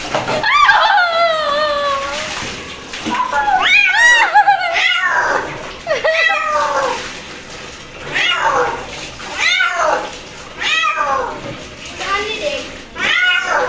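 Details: Pet cat protesting a bath indoors: a rapid run of loud, wavering yowls and meows, some bending up then down, repeated every second or so, with splashing water faint beneath.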